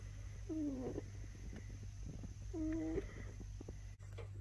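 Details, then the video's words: Caged French Bulldog puppy working at the latch of his cage door lets out two short, low whines about two seconds apart over a steady background hum. "Frenchie Puppy Prison Break"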